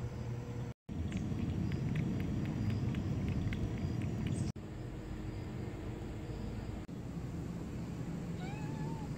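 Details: Stray cat back after TNR neutering gives a single short meow with rising then falling harmonics near the end, over steady low traffic-like rumble and faint clicks.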